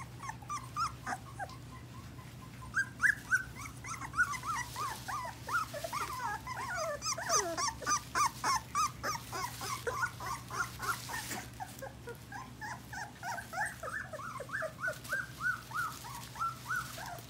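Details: Several English Golden Retriever puppies at four weeks whining together indoors: continuous chorus of short, bent, squealing whimpers, about three per second, growing busier midway, over a steady low hum.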